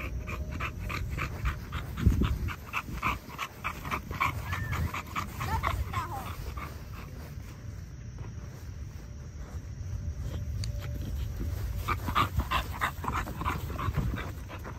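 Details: Snarf, an eight-month-old Extreme Pocket American Bully puppy, makes soft, repeated whimpering and yipping noises mixed with panting, in a steady stream of brief high pulses over low indoor rumble.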